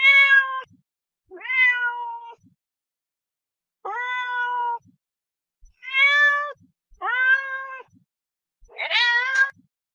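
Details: Repeated meowing from a domestic cat, six calls spaced about one to two seconds apart, most steady and clear, the last one rougher and more wavering in pitch.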